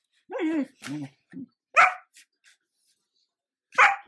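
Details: Sheepadoodle puppy, a female Old English Sheepdog and Standard Poodle cross, barking to demand attention as she closes a laptop. A person speaks first, then two bright, abrupt barks about two seconds apart.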